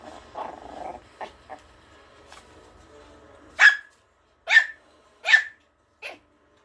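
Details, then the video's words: Malkie puppy (Maltese and Yorkshire terrier mix) fearlessly challenging an older dog in play: soft growly grumbles at first, then four sharp high yaps spaced under a second apart. "형아 무서운 줄 모르고 덤비는 몰키즈 아토에요"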